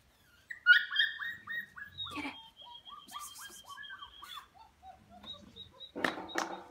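A Labrador Retriever puppy whimpers in a quick run of high, thin, falling whines.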